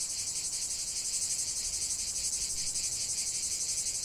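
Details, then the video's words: Cicadas singing in a continuous 45-minute nature recording: a dense, high, shimmering buzz pulsing about three times a second, steady and unbroken, with faint low rumble beneath. "45 min de chant des cigales"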